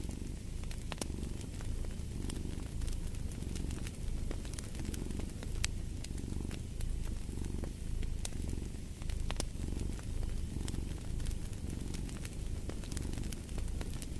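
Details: Domestic cat purring beside a fireplace, a low continuous rumble that swells and fades with each breath, overlaid by frequent sharp crackles and pops from the burning fire.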